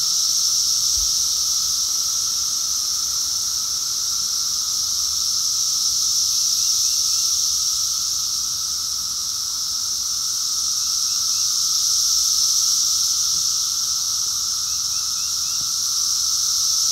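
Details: A dense chorus of periodical cicadas, Brood X in 2021 at near-peak numbers, with males making a steady droning hum with a high, hissing shimmer said to be as loud as a jet airplane.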